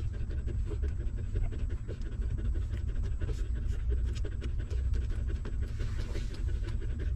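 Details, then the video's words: Hungry newborn puppies nursing from their stray mother dog, giving a continuous run of soft sucking smacks and clicks against a heavy low background hum. "Hungry Puppy Sucking Milk"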